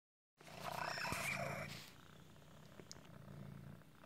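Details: Male cat with a temporary deformity that sometimes makes breathing hard, like asthma, producing a raspy, squeaky wheeze for over a second, then a low steady rumbling purr-like sound indoors.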